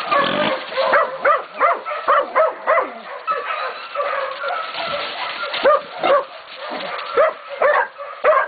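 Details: Catahoula and BMC pups aged 16, 11 and 14 weeks baying a pig at Golden Creek Catahoulas Kennel; a pack of rough, mid-pitched barks overlapping in quick, uneven bursts, some yelping notes mixed in.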